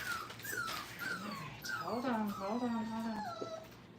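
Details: Brittany puppies at five weeks old, crate training indoors at a kennel. High descending whines overlap with a lower, drawn-out howling whine that wavers for about a second before fading.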